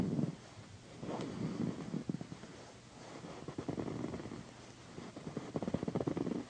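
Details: Pandy, a female pet cat, purring loudly while being massaged on a satin pillow: deep rumbling purr in rhythmic surges about once a second, with soft rubbing and scratching noises between.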